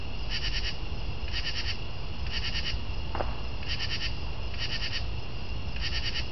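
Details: A northern true katydid repeats six scratchy, clicking chirps about one second apart, each a tight burst of rapid pulses; one brief faint tick midway and a low steady hum underneath.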